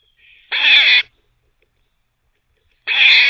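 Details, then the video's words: Squirrel, a captive teething cafe visitor, barking while teething: two harsh, noisy, buzzy barks about half a second each, spaced roughly two seconds apart, with near silence between. "Squirrel barking (while teething)"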